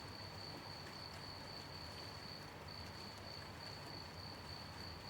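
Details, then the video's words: Crickets chirping at night during gentle rain: a steady high thin trill with brief breaks, over the constant hiss and patter of rainfall. "Gentle night rain with sound of rain and cricket chirping"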